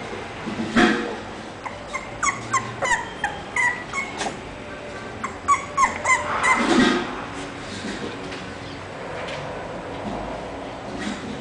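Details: English Bulldog named Ciclopes, from a breeder of bulldog puppies: a run of short, high, whining yips and whimpers in quick irregular bursts, a louder cluster midway, then quieter background rustling.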